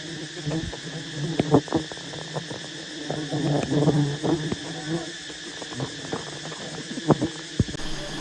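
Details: Giant wild honey bee nest disturbed during a honey harvest: a constant deep drone of bees, with a busier stretch of rustling and clattering mid-way and occasional sharp clicks.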